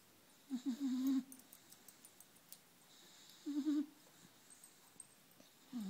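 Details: Sleeping four-month-old puppy deep in slumber, making thin wavering whistle-snores, a longer one near one second and another about three seconds later, with a faint third starting at the end; soft breathing between.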